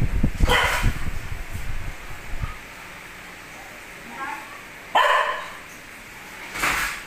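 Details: Pet dog close to two years old barking for its owner to take out the rubbish; an opening stretch of human chatter and a bark, then two more abrupt barks near the end.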